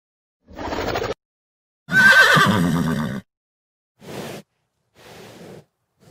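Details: A wild horse gives several short whinnies, loud and wavering, separated by silent pauses.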